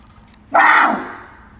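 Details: A barasingha (swamp deer, Rucervus duvaucelii) at a zoo in Seoul gives one loud, hoarse call lasting about half a second, sliding down in pitch; recorded 6 December 2021.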